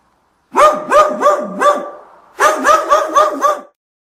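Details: Dog barking in two quick bursts, each a run of about four or five sharp, evenly spaced barks, separated by a short pause; clean recording with no other sounds.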